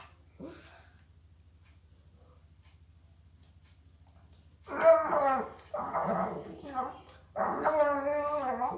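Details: Mia, a female pet dog nicknamed Garbage Disposal who never gets enough food, 'talks' indoors while begging to eat: after a quiet start, three drawn-out, harmonic, voice-like moaning phrases with wavering pitch, each lasting about a second.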